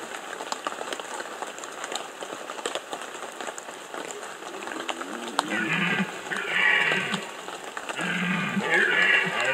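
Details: Red deer stag roaring during the 2015 rut in the Bieszczady mountains, Poland: after about five seconds of steady patter like rain, two hoarse, harmonic bellows swell up, each rising and falling, the second longer and louder.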